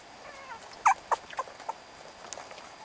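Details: Beagle puppies, young and growing fast, filmed in November, let out a quick run of four or five thin, high, squeaky whimpering yips within about a second, then fall quiet over a steady background hiss.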